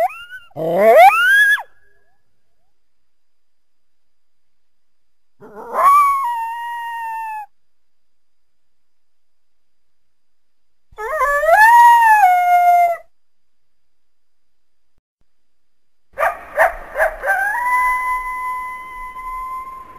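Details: Coyote heard through the trees from a backyard in winter, giving four separate howls about five seconds apart. Each swoops upward and levels into a held tone. The last begins with broken, stuttering bark-like pulses before steadying.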